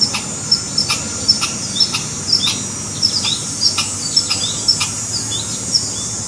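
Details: A red squirrel's alarm call: sharp, dry chucks about twice a second, with a steady high insect hum behind.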